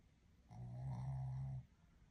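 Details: A male Shih Tzu snores with one low, rumbling breath lasting about a second.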